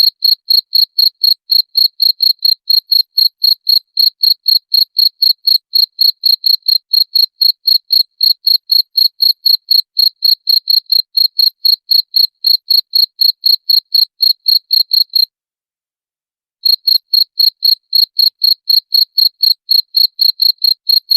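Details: Cricket chirping, played as a sound to repel rats: loud, high, pure chirps repeated steadily about four per second, broken by a brief silent gap near the end before the same even chirping resumes.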